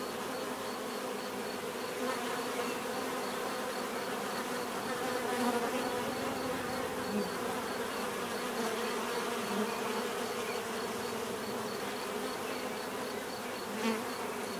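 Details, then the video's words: Continuous buzzing of many bees, an even droning hum with individual insects swelling briefly louder as they fly close, over a faint rhythmic high-pitched pulse. "bees therapy relaxing natural buzzing sound"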